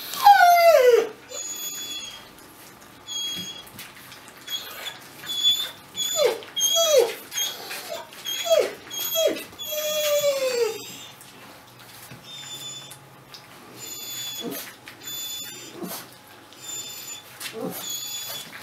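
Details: Weimaraner puppy whining indoors: a series of high, falling whimpers and squeals, each under a second and repeated every second or so, with one longer drawn-out whine, then quieter sniffs and shuffling noises.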